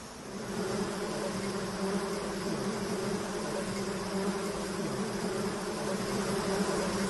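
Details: Swarm of bees around men harvesting honey, droning in a thick, unbroken buzz with strong low hum bands that swell slightly toward the end.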